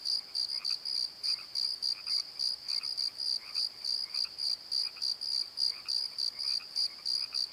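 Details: After-dark cricket chorus from a valley bottom by the Pozo Night Tree: piercing high chirps in short repeated bursts, with faint lower croaks scattered between them.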